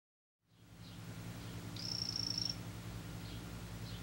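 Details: Male imitator poison frog of the 'green' form gives one short, high, pulsed buzzing trill lasting under a second. A steady low hum fills the background.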